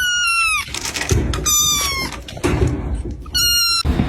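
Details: Kitten giving three high, thin mews, each about half a second long, sliding slightly downward in pitch and spaced roughly every one and a half seconds, with soft thumps and low room noise between calls.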